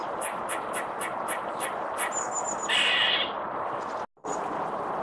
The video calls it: Barking mad Squirrels.